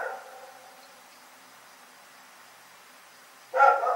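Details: Night barking from Rex the dog: the tail of one bark fades at the start, then near-silent hiss for three seconds before a single strong, harmonic bark closes the stretch.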